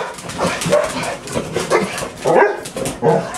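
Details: A household of six dogs on an ordinary morning at home, including Buddy; short, choppy barks come in uneven bursts, with a person calling to the dogs.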